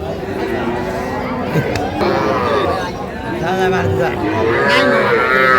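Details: Calves at a crowded cattle market in Pabna, Bangladesh, where farmers buy small bulls and heifers, 12/5/25; moos build toward the end, loud and harmonic, over continuous murmuring voices and market bustle.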